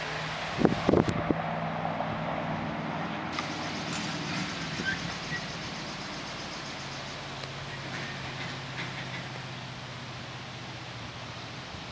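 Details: Outdoors, a steady low engine rumble runs throughout, with a few sharp knocks and clatters near the start and no clear animal voice.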